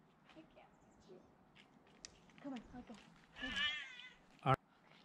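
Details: A cat climbing down during a rescue gives one drawn-out, wavering meow partway through, among soft human voices coaxing her down, faint rustling, and a sharp knock near the end.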